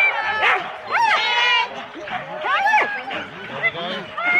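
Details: Excited Husky sled dogs at the start of four-dog team runs in Rendlesham, January 2016: sweeping upward yelps and drawn-out harmonic whines from several dogs overlap continuously, recorded on analogue cassette.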